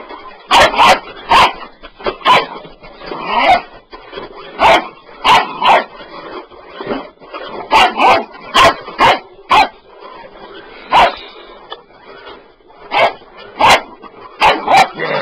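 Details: Excited Bull Terrier puppy barking at a sweeper it wants to attack: rapid, harsh barks in bursts of two or three, roughly twenty across fifteen seconds, loud and close, with brief pauses between bursts.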